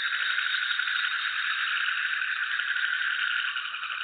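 Frogs croak together in a dense, unbroken rattling chorus.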